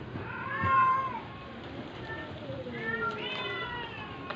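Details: Dying stray cat held for force-feeding, letting out a couple of thin, bending meows, one early and one late, with soft background hiss between.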